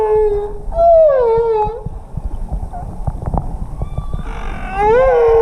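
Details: Humpback whales heard underwater while swimming alongside them off Tonga, 2017: clear tonal wails that rise and fall, swooping downward, several separate moans with rich overtones, between clicks and bubbling water noise.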